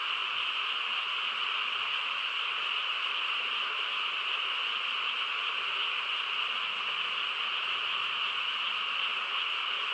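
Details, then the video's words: Night chorus of frogs in the quiet countryside, a thick, even drone of overlapping trills in two pitch layers, unchanging from start to finish with no gaps or other noises. "고요한 시골 밤에 개구리 합창 소리"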